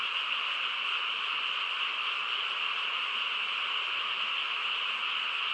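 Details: Frogs chorusing on a quiet countryside night: a dense, unbroken wall of overlapping croaks holding steady at an even loudness from start to finish, with no breaks and no other clear sounds.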